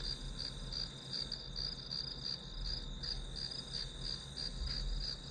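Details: Grass insect sounds for a study session: continuous high, ringing chirps pulsing a few times per second, with a low droning hum underneath.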